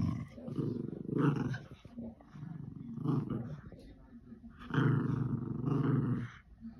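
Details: Lakeland Terrier and Border Terrier playing tug-of-war with a toy; low rumbling growls in long bursts, rising and falling, with short pauses between.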